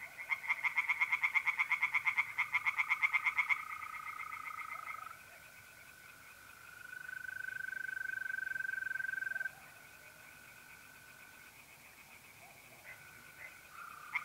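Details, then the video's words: Singing tree frogs at a pond by night, mid April, North-East Italy: a burst of loud rattling croaks, then quieter pulses as mole crickets trill in a long, level, continuous tone. "singing tree frogs in pond"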